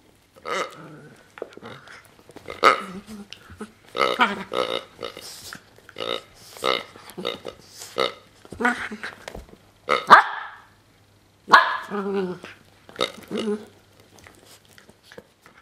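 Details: Ylva, a seven-month-old female Miniature Pinscher, makes strange sounds while playing with her toy pig: a run of short, throaty, grunting bursts with a harmonic tone, coming every one to two seconds with brief pauses between them.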